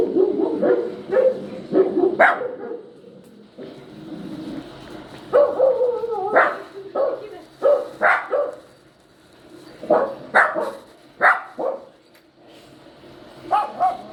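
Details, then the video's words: Yowling from a poodle puppy, a run of brief, sharp yips and whining cries coming in irregular clusters across the recording, separated by short pauses. "poodle listening to the crying sound of the puppy | yowling sound of puppy | poodle puppy"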